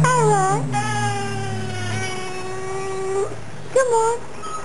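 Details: Pet Fox Terrier cross female of about nine or ten years gives a sustained, slightly wavering howl-like whine lasting about three seconds, then a brief bent yelp, while a car engine revs faintly nearby.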